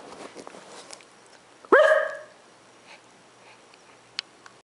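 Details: House dog barking during a bark war with its owner, reacting to the camera: one loud, sharp, ringing bark after a stretch of quiet room noise, with a brief knock afterwards.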